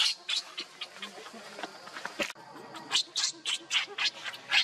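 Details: Hungry baby monkey Leo begging its mother for milk. Thin, high-pitched cries repeat rapidly over background rustling, with a short pause midway, then louder squeals return in quick succession.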